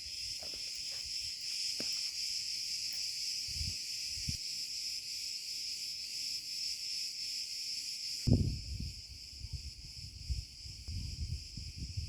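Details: Steady high buzzing chorus of Cicada cretensis in an olive grove after sunset, 34C; the drone eases slightly partway through while walking footsteps and rustling grow louder below it.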